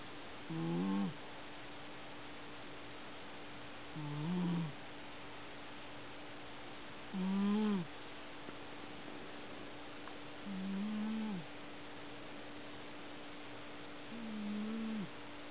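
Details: Domestic cat snoring loudly while asleep: five low, rough, droning snores with a slight rise and fall, spaced roughly every three seconds, over a faint steady hum.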